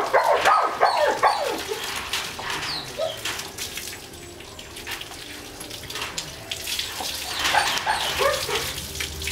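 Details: German Shepherd crossed with Labrador during a bath: short clusters of high yelping whines at the start and again near the end, separated by a stretch of running water and splashing.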